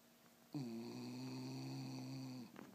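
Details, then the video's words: A single steady two-second snore from the dog Loreto, low and droning with a nasal buzz, ending in a short soft snort, recorded indoors. "Perro roncando"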